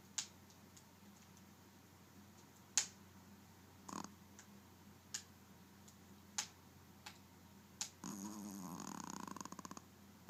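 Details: Maci, a pet dog, snoring indoors: scattered soft clicks and brief rustles, then near the end a drawn-out raspy snore with a fluttering, rapidly pulsed rattle lasting about two seconds.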